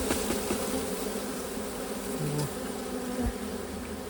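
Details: Honey bees buzzing during a honey harvest. A steady, droning hum runs throughout, with brief soft knocks and handling noises over the top.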